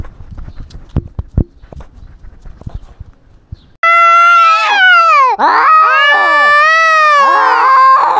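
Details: Cat wearing a GoPro, fighting and asserting dominance over territory; after a few seconds of faint clicks and rustling, a loud, sustained, wavering harmonic yowl is drawn out with one brief break.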